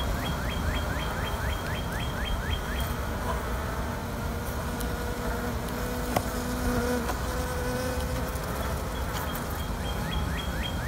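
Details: Honey bees in a queenless colony kept for queen rearing: a steady, low droning hum with faint sustained tones, over a run of quick, high, descending chirps near the start and end.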